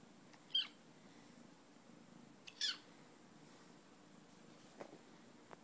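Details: Young female Bengal kitten, 12 weeks old, in Concord, North Carolina, squeaks twice, about two seconds apart, each a sharp, high, brief chirp, followed by faint soft clicks in an otherwise quiet setting.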